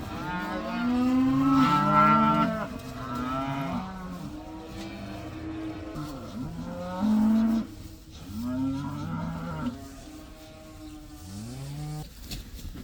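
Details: A herd of about 80 cows, out of doors for the first time, fills the air with continuous overlapping moos of varied pitch, several loud calls standing out among the chorus.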